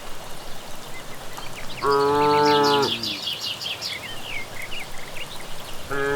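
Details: Cattle returning home from grazing on a village path on an evening, giving one long harmonic moo of about one second, with a second starting at the end; evening birds chirp and trill in the background.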